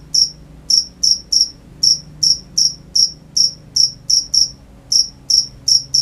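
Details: A slower series of crisp, high cricket chirps at night, roughly two per second with slightly uneven spacing and a short gap near the middle.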